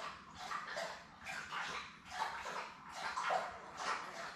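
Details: Labrador Retriever puppies, seven newborns with mother Belle, born May 24, 2021, on a live puppy cam; soft nasal whines and squeaks come in separate pulses about every second, with faint low hum beneath.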